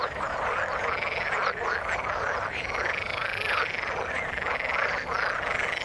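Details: A crowded chorus of frogs in water, with countless rapid croaks and quick upswept chirps blending into a constant, even hum of calling.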